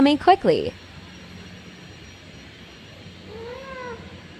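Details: Mother cat calling in panic while searching for her kittens: a few loud, quick rising-falling meows at the start, then a quieter drawn-out wavering mew near the end over a low hum of background noise.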